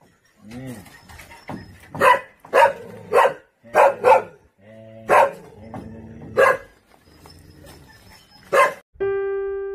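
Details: Purebred Jindo dogs met on Jindo island give a run of about eight sharp, loud barks in irregular bursts, some in quick pairs, with softer whines or murmurs between them and a short musical tone at the very end.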